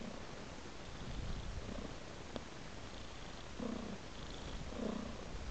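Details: Purring domestic cat tracking a trail of raw meat; a low continuous rumble with a faint click at mid-clip and two slightly louder, rougher swells late in the clip.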